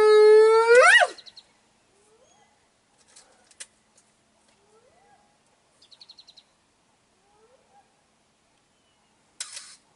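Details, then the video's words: Spotted hyena calling near Biyamiti Bushveld Camp in Kruger National Park during a lioness hunt: one loud, hollow whoop that swings sharply upward at its end, then fainter rising whoops roughly every two to three seconds, with soft clicks between them. "hyena call-up audio"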